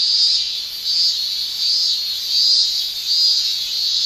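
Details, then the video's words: Japanese cicada tymbal song by males in summer, a high shrill pulsing in regular swells roughly every half second to second, loud and rhythmic. "Japan Summer Cicada Shrilling"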